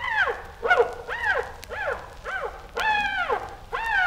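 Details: Chimpanzee screams: a string of high, arching cries, each rising and falling sharply in pitch, about seven in four seconds, one longer drawn-out shriek near the middle.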